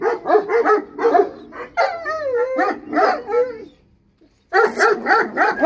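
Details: Bully Kutta dogs fighting: rapid harsh barks and yelps, then whining, wavering howls. A brief near-silent pause follows before a renewed burst of fast, loud barking.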